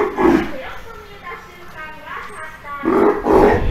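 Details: Captive Steller sea lion pup, roughly three months old and somewhat wary, with its mother at an aquarium in Ise, Japan: loud, hoarse, drawn-out bawling cries at the start and again near the end, quieter murmuring between.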